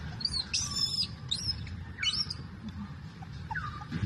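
A young monkey cries for milk in thin, squeaky squeals, some rising and some falling, over a low rumble.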